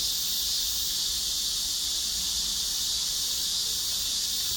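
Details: A cicada chorus fills the air with an even, high, hissing drone that never breaks, steady and loud throughout.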